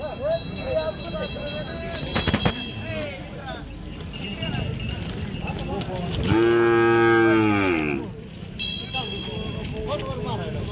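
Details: Bullock at Kashti cattle market, where Khillar-breed bulls and young bullocks are sold: one long, steady, harmonic-rich moo lasting about two seconds, amid a constant crowd murmur and voices.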